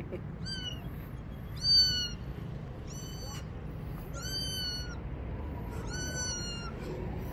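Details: Frightened little kitten hiding behind a motorcycle near a bathroom, calling for help with high, harmonic-rich meows, five short cries spaced about a second apart over low steady background rumble.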